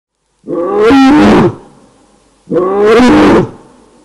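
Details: A lioness at night, waking from a nap at Cat Eye pan, Naledi Game Lodge, greater Kruger National Park, calling for her pride: two loud, rough, moaning roars, each about a second long, two seconds apart.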